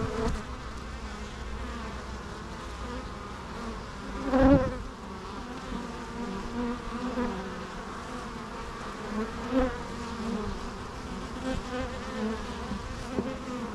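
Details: Bee buzzing as a soft, continuous drone with a faint hum, briefly rising into a louder close pass around the middle and again later, over a rushing background.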